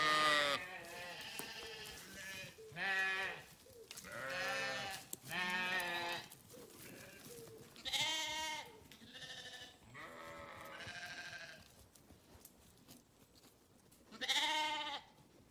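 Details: Flock of grazing farm sheep calling almost continuously: a chorus of tremulous, harmonic bleats of different pitches, some overlapping, roughly twenty a minute at irregular spacing, with a brief quieter lull before a final loud bleat.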